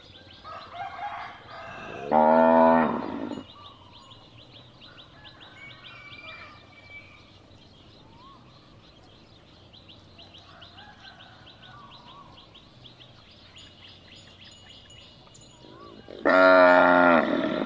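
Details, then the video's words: Cattle lowing, used as a call to locate a lost calf: two loud, drawn-out harmonic moos, one early and one at the end, separated by a long quiet stretch with faint chirping birds and other background calls. "เสียงวัวร้อง ไว้เปิดตามหาลูกวัวหาย"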